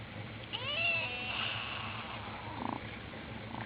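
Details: A ginger kitten gives a high, thin meow that rises then falls, with a fainter squeak after.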